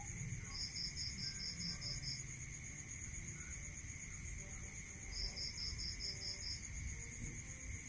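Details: Night insects in a rural area: a cricket gives two long runs of rapid, regular high pulses, about eight each, against a steady ringing drone from other trilling insects and a faint low murmur.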